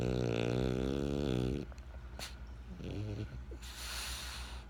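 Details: French Bulldog Benjamin snores with a long, droning rattle that ends abruptly, then a brief softer snort and airy breathing in a quiet indoor space.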